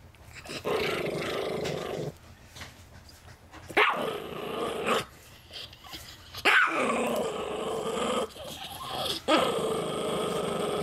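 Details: Chihuahua–Miniature Pinscher cross, a rehomed family dog possessive of peanuts, growling in several drawn-out bouts that repeat every couple of seconds, each opening with a sharp snarl, with brief quieter gaps between.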